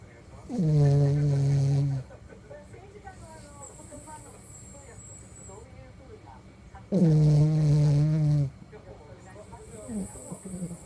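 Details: Sleeping toy poodle snoring: two loud, tonal, buzzing snores, each about one and a half seconds long and roughly six seconds apart, with quiet breathing and faint rustling between them.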